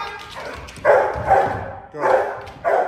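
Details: A young male Rottweiler in foundation protection training gives deep, forceful barks in quick bursts in a hold-and-bark, pivoting on a platform to hold a person at bay.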